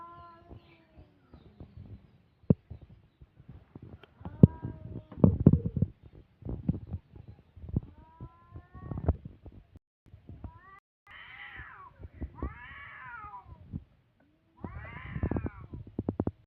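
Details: Two pet cats in a playful scuffle. Rough handling noises and soft thuds come first, then several drawn-out, arching yowls, each rising and falling over about a second, with short pauses between them near the end.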